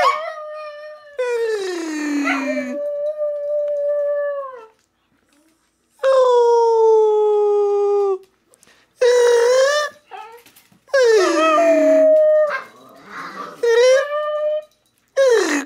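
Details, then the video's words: Domestic dog Scooter, prompted by mouth noises from a person, howls with other dogs stirred up: long steady howls, some sliding downward at the end, separated by pauses, with short yelping rises between. "Making a dog howl"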